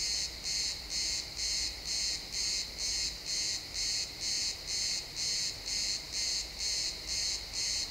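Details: Pine forest crickets at sunset giving a regular chain of high chirps, roughly two per second, each a short buzzy burst; steady ambient hum of the woods underneath, recorded in XY stereo.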